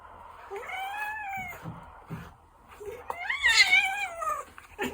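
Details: Two drawn-out meows from a gentle Ragdoll cat, each about a second and a half long, bending up and then sliding down. The second meow is louder and more strained, with soft rustling between them.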